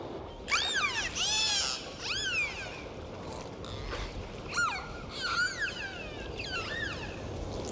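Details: Sea dolphins at play produce loud, clear whistles, looping upward and then sweeping down in repeated bursts about every second, with faint clicks and soft sea noise beneath.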